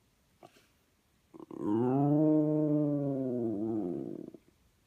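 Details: West Highland White Terrier, five years old, howling for his best friends: a short yelp, then one sustained, level howl rich in harmonics lasting about three seconds before fading.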